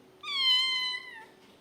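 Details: Domestic cat making one clear, loud, high-pitched meow lasting about a second. It holds a steady tone with strong overtones and drops slightly at the end. Faint hum in the background.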